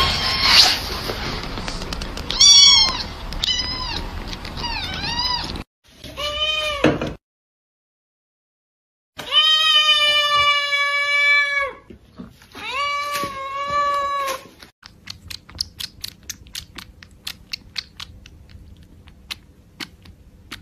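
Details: Laolao, a lively pet male cat, meows repeatedly: quick wavering cries first, then several long, drawn-out meows that rise and fall, separated by brief silences, ending in faint clicking.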